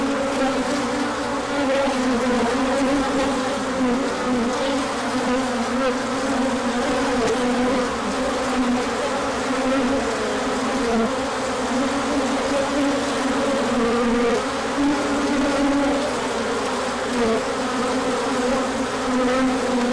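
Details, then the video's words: Many honeybees in a large orientation flight on 24 March 2024, emerging when the sun came out after colder weather; a dense, steady buzzing hum with strong low tones, continuous throughout, no other clear sounds. "Large Orientation Flight."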